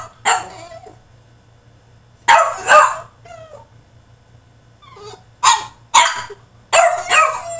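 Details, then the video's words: French Bulldog in his cage throwing a tantrum: sharp, raspy high yips in pairs separated by quiet spells, with faint short whines in between. "FRENCH BULLDOG THROWS TANTRUM IN HIS CAGE!!"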